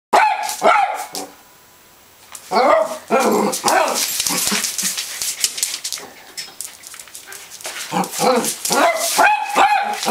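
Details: Rhodesian Ridgeback dog playing with a laser light, giving repeated short barks and excited yelps in irregular bursts, with a pause near two seconds and some human speech mixed in.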